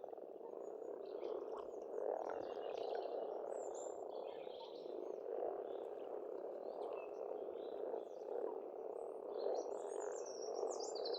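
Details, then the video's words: Frogs in spring at a pond on a farmstead in Estonia, a dense continuous croaking chorus forming a steady low-pitched wall of sound, with scattered whistled bird songs above. "Расслабляющее пение птиц и лягушек, весна, природа."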